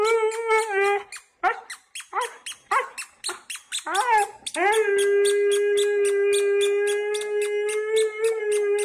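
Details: Dog howling: a short wavering cry, then a string of quick yips and yelps rising and falling, building into a long steady howl held over four seconds, with a regular faint ticking throughout.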